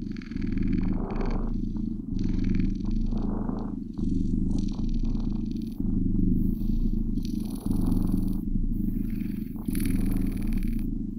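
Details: Low continuous purring from blue British Shorthair kittens, the rumble swelling and easing in breath cycles about every two seconds, with light scratchy rustles overhead.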